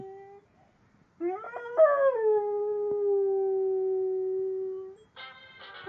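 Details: Pet dog howling at a noise maker: a long sustained howl that rises, then settles into a steady drawn-out tone for about four seconds, followed by a brief buzzy harmonic tone from the noise maker.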